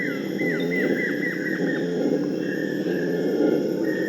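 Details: Purus red howler monkeys howling to prevent fighting between groups: a dense, continuous low roaring drone fills the whole clip, with bird chirps and short descending whistled notes above it.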